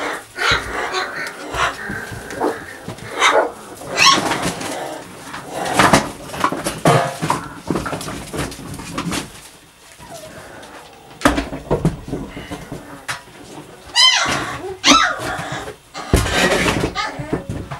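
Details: Puppies at play give short high yips and squeaky yelps, scattered among bursts of human voices, clapping and clattering thumps.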